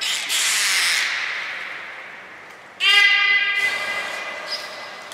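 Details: Belugas Hodoi, Taanya and Mirai at Port of Nagoya Public Aquarium, Japan, during pool transfer and training on 23 February 2021. A hissing broadband rush opens, then a short, nasal, strongly harmonic call lasting under a second, in a large indoor hall.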